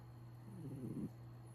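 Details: A cat snores in its sleep: one short, rough, rattling breath lasting about half a second, set against a constant low mechanical hum.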